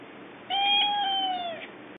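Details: Male cat, kept as a pet, gives one long meow of about a second, steady and then falling away at the end, over a constant low background hiss.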